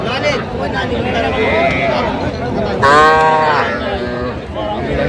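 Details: Young cattle, small bull and heifer calves, at a busy cattle market in Jamalpur, Bangladesh, on 25 October 2025: one short, tonal, harmonic-rich bawl near the middle stands above constant bargaining voices and crowd chatter.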